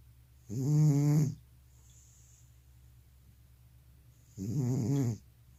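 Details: Elderly cat with sleep apnea snoring while asleep indoors: two rasping, low, harmonic snores, each under a second long, separated by a quiet pause of about three seconds.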